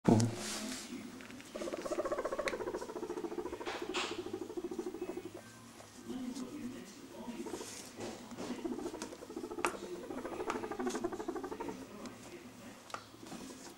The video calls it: Guinea pig purring